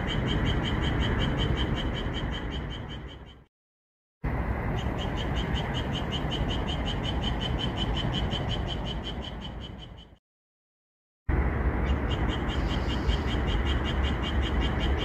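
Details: Moonlit pepper-field chorus of a Japanese tree frog: quick repeated clicking pulses near four per second continue through three stretches separated by short edited silences, with constant low rumble beneath.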